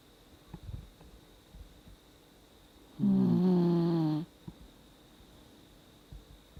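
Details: An old 17-year-old Dachshund, sound asleep, gives one tonal, buzzy snore of about a second against a quiet indoor background with faint soft knocks.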